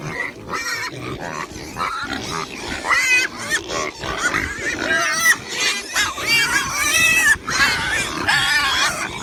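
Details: Several pigs and piglets grunt and squeal in overlapping, high, wavering bursts.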